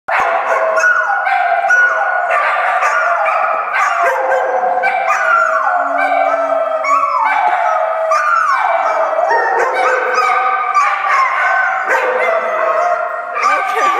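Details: Two-year-old Kelpie howling together with his fox terrier friend as a greeting at doggie daycare: overlapping drawn-out howls, each sliding downward in pitch, sustained throughout with barky onsets.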